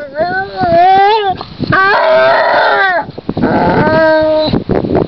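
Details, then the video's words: Basset hound Csipke (Lace) wallows on a lakeshore in spring and wails with pleasure: long, rich, harmonic howls that waver and rise and fall, three drawn-out cries in five seconds, with rustling and movement between them. "Csipke a basset hound jól érzi magát és óbégat.."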